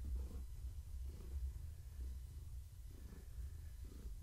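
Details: Gaia, a pregnant long-haired tabby cat, purring while being petted in the evening; a deep rumble swells and eases in regular pulses about once a second, in a quiet indoor room.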